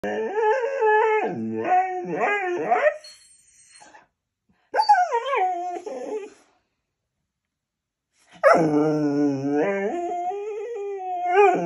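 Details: Goldendoodle dog in its daily temper tantrum, letting out long wavering howl-like whines that rise and fall in pitch, in three bursts separated by short silences.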